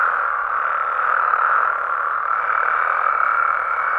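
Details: Nighttime amphibian chorus from Mexico, frogs and toads in their habitat: a short stretch of dense, rasping trills at constant strength, swelling slightly around the middle.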